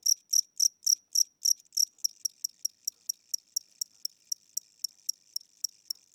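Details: Cricket indoors at night in a house, said to be old or tired with weakening wings and a slowed tempo. High, sharp chirps come about four per second, louder and longer at first, then becoming shorter and thinner, with no other sounds.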